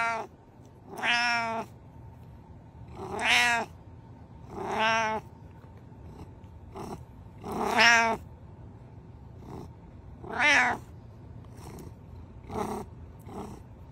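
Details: Domestic cat meowing repeatedly indoors: drawn-out, rising-then-falling harmonic meows roughly every one to two seconds, some long and wavering, a few short chirpy ones, over a faint steady hum.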